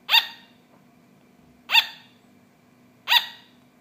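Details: A pet sugar glider yaps three times, short bright barks about one and a half seconds apart, each quick burst bending upward slightly, over a faint hum.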